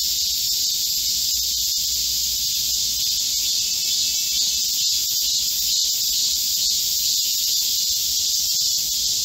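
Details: Korean cicadas in full chorus in a summer forest during scorching heat, 25 July 2024, produce a loud, relentless electric buzz at high pitch, steady from start to finish.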